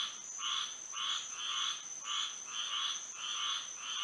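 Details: Moonlit Florida night with a frog chorus, croaks arriving in slightly uneven clusters about twice a second, raspy and bright, layered over an unbroken high-pitched hum.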